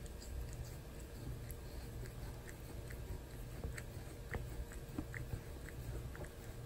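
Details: Pet cat Torapachi keeps grooming its human indoors, tongue strokes giving quiet gritty rasps and moist pecha-pecha licks in uneven bursts, roughly two to three per second, over a low electrical hum.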